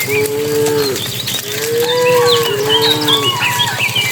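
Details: Dozens of cattle being herded by a herder into their pen as evening arrives; drawn-out harmonic moos, one falling at its end, overlapping from several animals, with chirping birds in the background.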